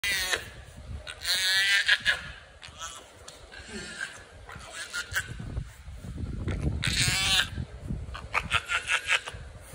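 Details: Brown hyena (Parahyaena brunnea), begging cry: a male baby brown hyena gives high, whining, wavering, harmonic cries, crying for his bottle.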